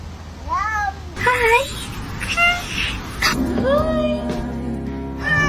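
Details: Indoor pet cat from a collection of cats that seem to speak English: several short, curving meows, one rising then falling, mixed with a person's chatter and background music.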